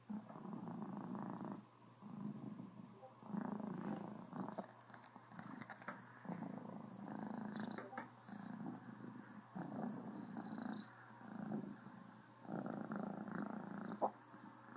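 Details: Cornish Rex cat named Criquette, happy and purring full-on with slight hiccups: a steady low rumbling purr in pulses of one to two seconds, with brief breaks and small hiccup jolts indoors.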